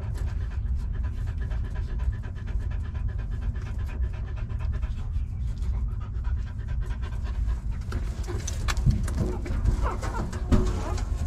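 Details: Nursing puppies drinking their mother's milk: steady soft slurping and fast breathy panting, with a few sharper squeaks and knocks toward the end over low background rumble.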